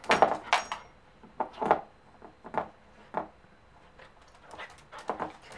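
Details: Three-month-old Pembroke Welsh Corgi puppy, excited over a new bone, making short breathy huffs and snorty pants in uneven bursts about every half second to second, indoors in a small room with faint jangling.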